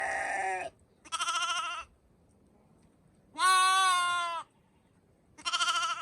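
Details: Sheep bleating: four loud, wavering, harmonic-rich bleats, each under a second long and separated by short pauses, with no other clear sounds.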